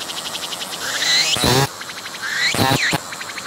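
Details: Singing cicada filmed up close as it flies off and returns; fine rapid pulses and a rising whine broken by two harsh broadband buzzing bursts.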